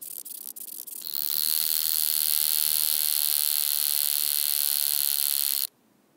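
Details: Wing-buzzing toothed grasshopper (Stenobothrus rubicundulus) at Mala Ucka, Croatia, 26 July 2023: after a second of quiet, a loud, steady, hissing high buzz starts abruptly and holds for about four and a half seconds, then cuts off sharply.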